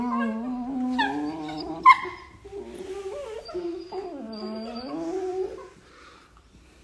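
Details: Playing beagle puppies give long wavering whines and howl-like cries that rise and fall. There is a sharp yelp near the two-second mark, and the calls fade out toward the end.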